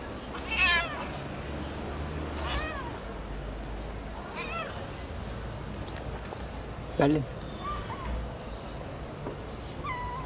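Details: Homeless cat in Istanbul waiting with her friends for breakfast; a run of drawn-out meows about every two seconds, some rising then falling, with a sharp knock midway and low background hum.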